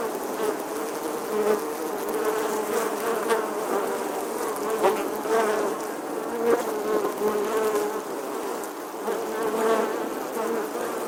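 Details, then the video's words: A bee buzzing through a summer day, its unbroken hum holding a fairly steady pitch while the loudness pulses gently, with small swells every second or two as it shifts position. "Bee Buzzing Sounds"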